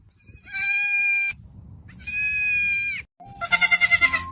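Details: A young goat kid bleats three times, each a loud, bright, quavering cry of about a second, the last one choppier and pulsing; faint low rumble between calls.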